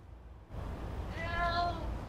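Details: Domestic cat meowing indoors when asked whether it wants the door opened before a walk: a single soft, harmonic, slightly rising then falling meow about half a second long, over low background rumble.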